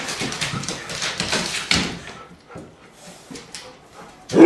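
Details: Irish Setter producing a cluster of sharp yipping barks, then quieter, scattered sounds and a final loud bark at the close.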